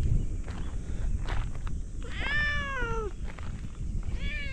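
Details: One of two orange tabby cats greeting visitors at a fishing port gives a drawn-out meow. It rises, then slides downward over about a second. A shorter meow starts near the end, over steady low rumbling background noise.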